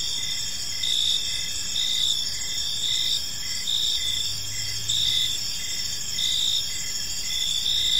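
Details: Many crickets chirping in an evening park, high pulsed trills repeating about once a second above a constant insect hum, with a brief low rumble midway.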